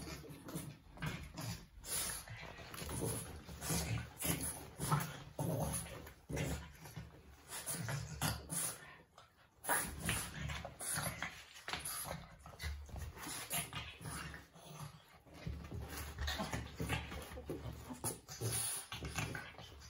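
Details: Two Boston Terriers squabbling for no reason: steady deep growls and snarls repeated in quick pulses for twenty seconds, broken by brief whines and a short pause near the middle.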